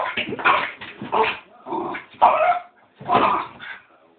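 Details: Excited pet dog reacting to cats on television with rapid clusters of high, yelping barks, two or three per burst, separated by short gaps.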